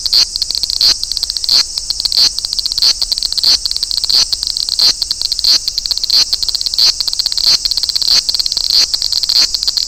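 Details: Large brown cicada recorded in Toyanogata Park. High rasping buzz is chopped into rapid strokes, with a brighter accent recurring about every two-thirds of a second over ten seconds.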